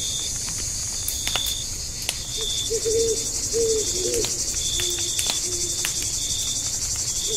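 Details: Night chorus of crickets at a forest campsite: a continuous high-pitched, buzzy chirping drone, broken by campfire crackles and a brief cluster of low, rounded hoots midway.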